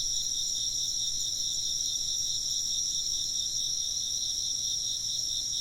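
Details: Short burst of insect chirping: thin, piercing trills pulse quickly in parallel high bands, steady and unbroken, over a faint low background hum.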